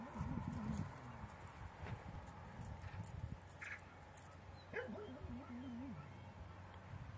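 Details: Akbaş dog in a shelter, with short bursts of barking around two and five seconds and wavering, whining tones in between. A steady low hum runs underneath, and a human voice may be present.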